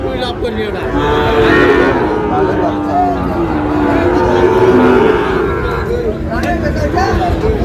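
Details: Lowing from Sahiwal breed bull calves at a busy Chittagong cattle market in Bangladesh, late August: drawn-out tonal moos overlap dense human talk and crowd murmur throughout.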